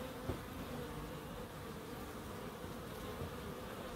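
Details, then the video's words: Garden bees in Crookes, in a small wildlife garden beside a terrace house. A constant low buzzing drone carries throughout, with a brief louder pass near the start. "1hr of Relaxing Bees"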